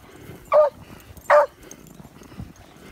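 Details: Aging female beagle stirred by fox scent, giving two short, forceful barks less than a second apart over faint background rustling.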